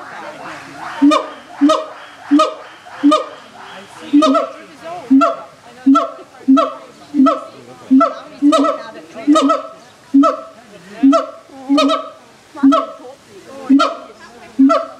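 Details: Siamangs in a zoo, loud enough to be heard throughout the grounds: a steady series of short, honking, harmonic barks about every 0.7 seconds, each note sharp and level, with faint visitor chatter behind.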